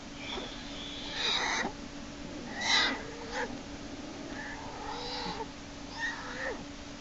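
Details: Black bear cub Jason, inside Lily's den on March 1, 2011, being pulled back in by the leg by Hope while he kicks and screams. Around six short, wavering, whiny cries come in uneven bursts, with a steady low hum underneath.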